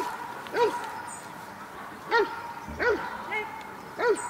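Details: Protection work at the NIK 2016 dog sport trial: Cobra van de Amorhoeve gives four sharp, clear barks spaced about half a second to a second and a half apart, over a background of arena murmur.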